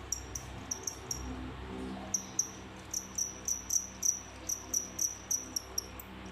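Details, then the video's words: Captive pair of crickets, bought in bulk as feeders, that killed the rest of their group once paired; high, sharp chirps repeated about four times a second in short runs with brief pauses, over a faint low hum. "What crickets really want making such noise"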